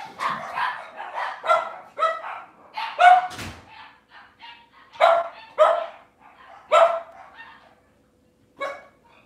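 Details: Cavalier King Charles Spaniel puppies on an indoor kitchen camera on a cloudy Monday morning. They give a run of high, harmonic yips and whiny barks in irregular bursts, some stretched into short whimpers, with a brief pause before a final yelp.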